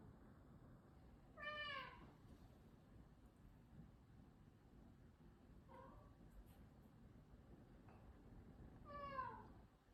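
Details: Six-year-old Maine Coon Kai, ill with nasal cancer, meows quietly three times at spaced intervals, each call short and sliding downward, in a hushed room with faint background hiss.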